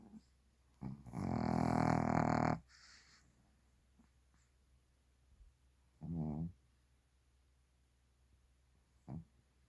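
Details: Snoring Shih Tzu asleep: one long, loud grating snore of nearly two seconds, then a shorter rasping snore and a brief snort, spaced about three seconds apart in a quiet room.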